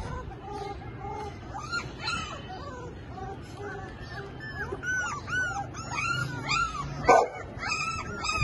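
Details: Labrador Retriever puppy offered for sale in Lahore, giving high, arched whimpering yelps that come in quick uneven bursts and overlap as if from several pups, over a low background rumble.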